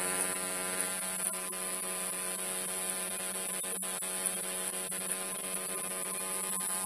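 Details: Sword-bearing conehead katydid (Neoconocephalus ensiger), a male singing at night while held in a temporary enclosure, gives an unbroken, piercing high buzz lasting the whole stretch, with a low mains-like hum and a few faint clicks beneath.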